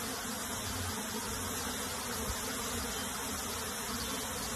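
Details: Colony of honey bees during relocation into a box, producing a thick, even buzzing drone, bright and hissy in the upper range, continuous for the whole stretch.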